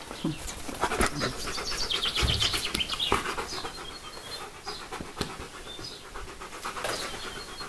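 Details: Jazou du Domaine des Pertins, a dog staying at a home in May 2015, pants rapidly at about four breaths per second in a fast rhythmic huffing. Faint bird chirps are audible behind it.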